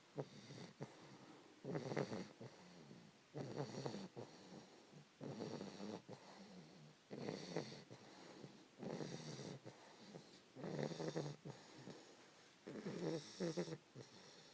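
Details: Fannie, a 3-month-old English Bulldog puppy, snores while snuggled up asleep around 5 AM, eyes open. Raspy, rhythmic snores roll in about every two seconds, roughly eight breaths in a row in a quiet small room.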